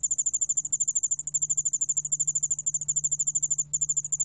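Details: High-pitched, evenly pulsed chirping trill of a Yeoul-allak-bangul cricket, roughly ten pulses a second, steady throughout with one brief dropout near the end; low background hum. Recorded 2020, National Institute of Biological Resources.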